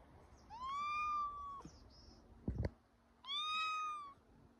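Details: Domestic cat out on a walk in a harness, giving two drawn-out meows, each about a second long with a steady tone and a slight fall at the end, separated by a short rustle and a clack.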